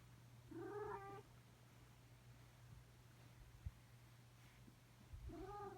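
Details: A fluffy rescued male cat, taken in from frozen streets weeks earlier, during an indoor play session in March: two drawn-out, wavering meows, one at the start and one at the end, separated by quiet with a steady low hum behind.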